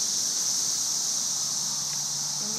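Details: Unbroken high-pitched sizzling hiss from masses of cicadas, thousands in the trees during the May 2011 cicada invasion, with no other clear sounds.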